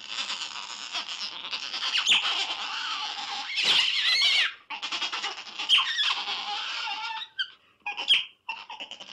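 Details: Continuous high, whining otter squeals with wavering pitch, rising into sharper cries around the middle, then breaking into short chirps and squeaks near the end; steady and insistent throughout.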